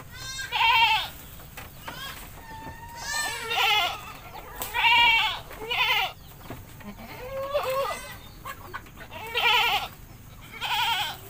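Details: Bathing goat in a village, bleating repeatedly: roughly six loud quavering cries, some short and rising, others longer and trembling, spaced a second or two apart over low background noise.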